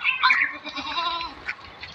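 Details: Goat kept on a semi-confined goat farm in India, uttering a wavering, nasal bleat in the first second that trails off, with softer bleating and farm background after.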